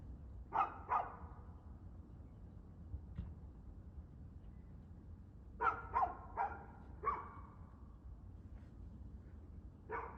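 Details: Barking dog recorded 2/6/2024, 6:02pm, giving a pair of barks, a lone faint one, then a rapid run of four or five barks and a final bark, with low rumbling background noise.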